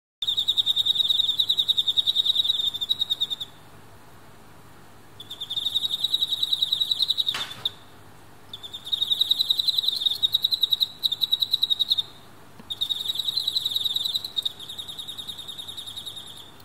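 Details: Captive Emma field crickets, males fighting fiercely near a female: high, rapidly pulsed chirping in bursts lasting two to three seconds, separated by short pauses, with one sharp knock midway.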